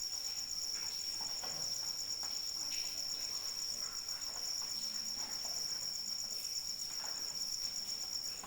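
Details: Crickets calling through rain, a steady high pulsing trill that runs unbroken under a constant soft patter of falling rain and scattered drips.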